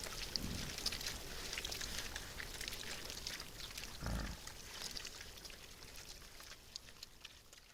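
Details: Feeding wild boars: a low grunt opens the passage and a second, louder deep grunt comes around four seconds in, set against continuous rustling and crackling as the animals forage.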